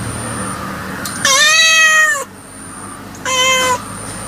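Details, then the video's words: Cat meowing twice: a long, level, rich meow of about a second, then a shorter one after a pause, over a quiet background hum. "Cat Voice Ringtone 2020 || Kitten Voice Ringtone 2021"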